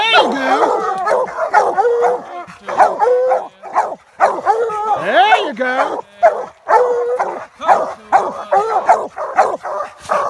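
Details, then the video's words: American Leopard Hounds and a Treeing Walker coonhound treeing a raccoon in a swamp: several dogs bay rapidly and overlap in loud, ringing barks with short rising-falling bawls, while a man speaks encouragement. "American leopard hounds, Treeing Walker in swamp coon"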